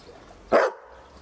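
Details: Berger Picard, also called the Picardy Shepherd, gives a single short, sharp bark over a low background hum.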